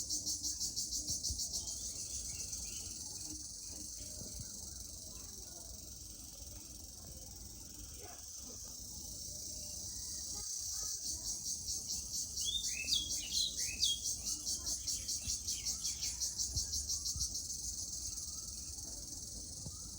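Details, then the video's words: Cricket (jhijhi poka) keeping up a continuous high shrill drone. Partway through it turns into rapid regular pulses. A few short chirps from another creature cut in briefly, over a soft outdoor background. "Jhijhi Poka Sound"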